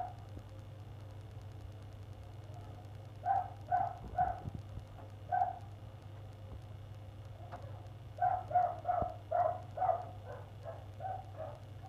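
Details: Persistent barking from a neighbours' dog, going on for an hour on 1 February: a cluster of four barks, a lone bark, then a longer rapid series of about six barks, all muffled and distant-sounding over a low hum.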